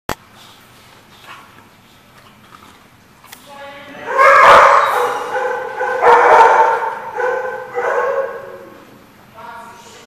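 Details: Several dogs barking at a dog boarding facility called The Barking Lot, recorded 29 December 2014; loud overlapping harmonic barks and yips cluster from about four seconds onward, with quiet murmuring voices earlier.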